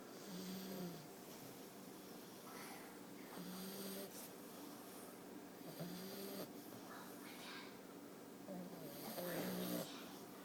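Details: Sleeping English Bulldog puppy snoring indoors; a low buzzy snore repeats about every two to three seconds, each breath steady and nasal, with a faint background hiss.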